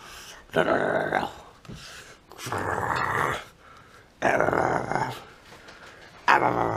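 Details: Sixty-day-old Saint Bernard puppy named Efe, indoors, growling in harsh, noisy bursts of about a second each, four rough rumbles separated by short pauses, with faint room sounds between.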